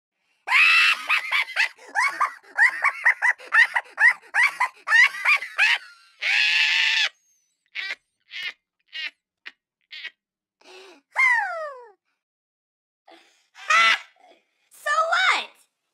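A Siberian Husky runs through a string of quick, warbling yowls, its pitch sliding up and down in speech-like bursts. Later come a few drawn-out, bending howls separated by short pauses.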